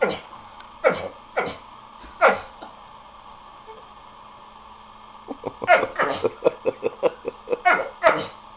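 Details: Lucky the dog barking indoors to get the others to play, his tail wagging: a few spaced yelps, a quiet pause, then a rapid burst of short choppy barks and huffs near the end.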